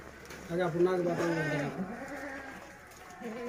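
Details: A Sirohi goat gives one drawn-out, quavering bleat lasting just over a second, followed by quieter voices and a short, faint bleat near the end.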